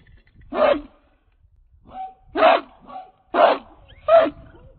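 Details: Four loud, rough barks spaced about a second apart from King Rocco, a chained 66-pound American Pit Bull Terrier of Redboy Jocko breeding, with faint whines between them.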